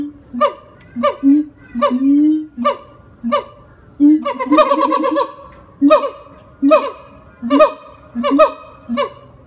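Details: Howling siamang, a black-furred gibbon, calling at the Jacksonville Zoo, Florida: rapid series of loud barking whoops with rich harmonics, about seventy-five per minute, alongside deep resonant booms and a brief excited burst of overlapping notes midway.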